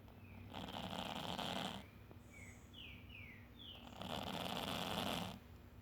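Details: Sleeping house cats Tadeu and Roger snore in unison early one morning; two drawn-out, hoarse, noisy breaths over a second long each, separated by a quiet pause filled with faint bird chirps.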